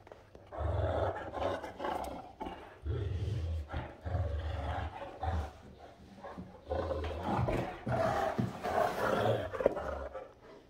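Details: Rhapsody and Wächter, two Great Danes, playing on a morning. Low, rumbling growls come in repeated bursts a second or two long, with brief pauses between them.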